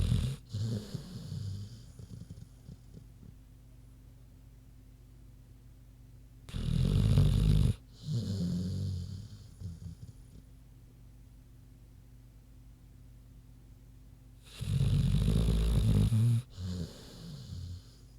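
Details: Sleeping pig named Queenie; deep vibrating snores recur about every eight seconds, each a loud rattling inhale of a second or so, followed by softer snuffling breaths.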